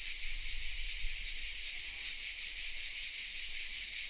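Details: Cicadas hidden in the oak trees of Vézénobres, a small village in the south of France, recorded on a Sony RX10 M3 camera: a dense, hissing, high buzz that never stops, swelling and fading in quick pulses, with faint low rumble beneath.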